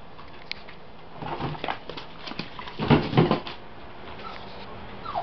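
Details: Two-month-old male Jack Russell Terrier-type puppy giving soft whimpering noises that build into a pair of short, rough barks midway, followed by a brief descending whine near the end, over a steady low background hum.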